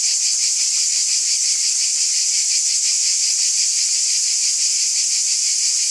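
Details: Many cicadas calling together on a summer night, forming a bright, continuous, sizzling wall of sound with a quick regular pulse and constant volume.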